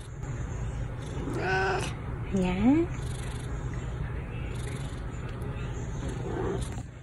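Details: An older cat, a former stray, calls out to wake the younger cat: a short meow followed by a rising, drawn-out call, with a woman talking softly before and after and a low household hum.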